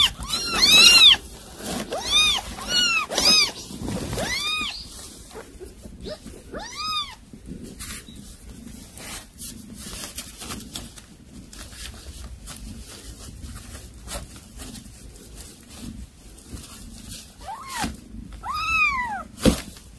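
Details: Mother cat that brought home a caught mouse for her kittens, calling to them: a burst of rapid, high-pitched arched mews in the opening seconds, a long quiet stretch with faint background hum, then a few more mews near the end.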